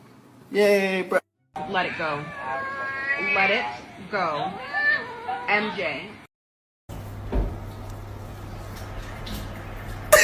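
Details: A house cat lets out a run of several rising-and-falling meows over about five seconds, each with a bent, yowling contour, while people talk nearby and music plays in the background.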